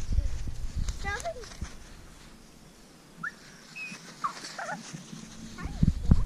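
French Bulldogs give short, high whimpers that slide up and down, with a person talking nearby.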